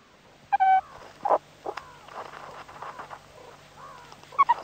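A meerkat gives short, harmonic squeaks and chirps, with quieter chattering and grunts between them.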